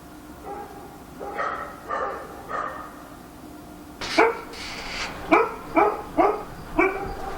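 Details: Nighttime barking by a dog in Korea. Three softer, muffled barks come first, then a louder run of about seven sharp barks from the fourth second onward, spaced roughly half a second apart.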